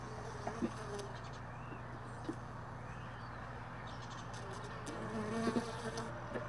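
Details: Honey bees lingering around hive boxes left all day in a truck bed, heard early in the morning while the boxes are stored; a steady, low droning buzz with wavering tones over a constant hum, broken by a few sharp knocks.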